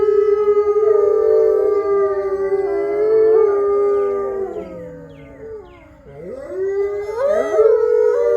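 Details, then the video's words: Gray wolf pack, captive-born ambassador animals in the main enclosure at Wolf Hollow, howling as a group: layered sustained tones held steady, fading to a quiet gap around six seconds, then new rising and swooping voices join. "Howls With The Main Wolf Pack"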